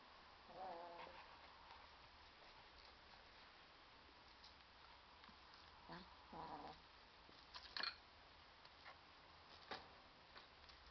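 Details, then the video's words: A male lilac point Siamese kitten, 11 weeks old, gives short, rough growls at a toy butterfly, with soft knocks and taps in between. "Siamese Kitten Growling"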